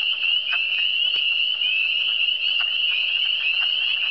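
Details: Frogs calling in Quebec's Eastern Townships: a dense, unbroken high trilling chorus steady throughout, with a few brief lower clicks and croaks standing out near half a second, one second and two and a half seconds.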